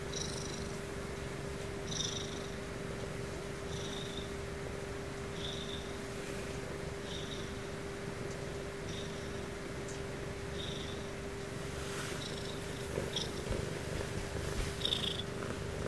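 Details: Sleepy purring from Sumomo, a house Ragdoll, during her nightly sleep routine. A continuous low rumble pulses roughly every two seconds with soft breaths, over a constant hum, plus a few light rustles near the end.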